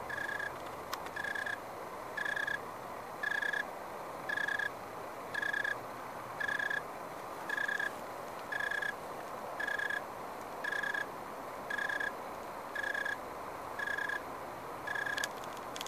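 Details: An unidentified insect in a backyard grapevine in the SF Bay Area gives short, clear, tonal chirps about once a second. Recorded 29 October 2015 shortly after sundown, in dry weather of 75–80°F.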